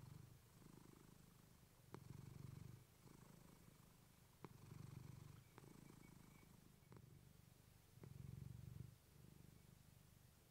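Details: Steady, deep rumbling purr of Clementine, a female domestic cat, captured with a fluffy mic; alternating breath phases near one second long, punctuated by occasional sharp clicking taps.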